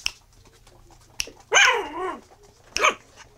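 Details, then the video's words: Miniature Schnauzer puppies, black and black-and-silver, eight weeks old, from a litter: one loud harmonic yelping bark sliding down in pitch over half a second, followed by a short sharp yip and faint clicks in a quiet indoor room. "Miniature schnauzer - 8 weeks"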